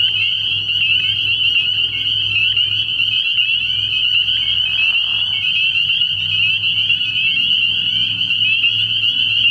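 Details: Dense night chorus of spring peepers at a frog pond in early spring: countless high, piercing peeps merge into a steady ringing band, with short rising notes standing out, over a low droning hum in the background.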